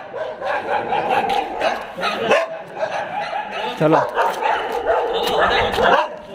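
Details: Dogs boarded at a dog hostel in Jodhpur, 23 January 2022, barking in a chorus of short, sharp, overlapping barks that come in irregular bursts, with human voices heard throughout.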